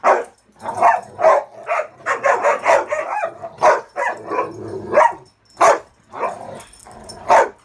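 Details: Several dogs play king of the hill indoors on a bed on a muddy day, Ravyn holding the top while Kyla and Knight try to climb on; quick, high-toned playful barks come in rapid bursts, some overlapping, with brief pauses.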